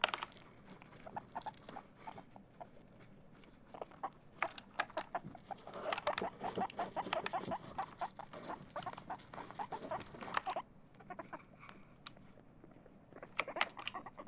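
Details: Excited pet guinea pig Chip, set to play Among Us, utters scattered clucking pulses that build into a dense, rapid stretch in the middle before pausing, mixed with crisp clicking taps.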